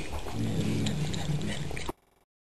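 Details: House cat growls as it eats, a deep continuous throaty rumble with slight wavering pitch lasting nearly two seconds before cutting off abruptly into silence.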